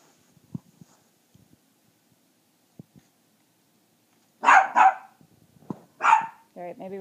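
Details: A puppy, deliberately provoked by its owner to show its loud voice, gives a few sharp, high barks after a quiet start while a person speaks nearby and tells it to be quiet.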